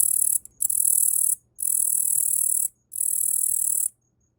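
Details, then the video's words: Hand-raised Tettigonia orientalis katydid, Yaburaien, caught as a tiny nymph in early spring, sings from an arm: three high, rasping buzz bursts of about a second each, separated by short silences. "イケメンのヤブキリの鳴き声 - Sound of Katydid - Tettigonia orientalis"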